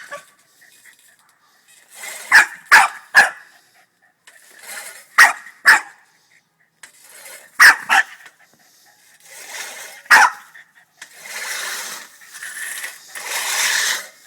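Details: Angry Boston Terrier barking at a push lawnmower: sharp barks in quick clusters of two or three, separated by gaps, with the mower's whooshing noise rising near the end.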